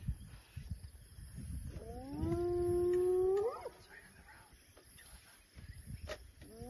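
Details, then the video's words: Hyena calling during an elephant viewing: one drawn-out, steady harmonic call that swoops sharply upward at its end, with a second call starting at the close over a low rumbling background. "hyenas callings"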